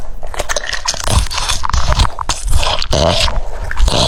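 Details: Crunchy chewing from a French Bulldog munching cucumber pieces in a small room, loud bites and scraping crunches packed closely together, with brief gaps and a faint voice in the background.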